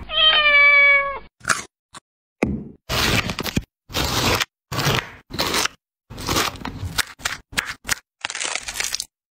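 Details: An angry pet cat: a sustained, steady, drawn-out meow opens, followed by a string of harsh broadband bursts, like hisses or scuffling, separated by short silences.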